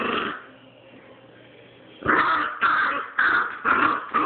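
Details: Puppy turning on an older dog, a short growl, then a quiet gap, then four loud harsh snarling bursts about half a second apart.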